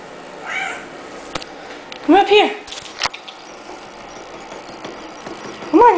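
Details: Oliver, a male orange tabby cat about 10 months old, found at a store in Kansas City, Missouri and awaiting adoption, indoors: three short rising-then-falling mews spaced a few seconds apart, with a woman coaxing him and a couple of knocks.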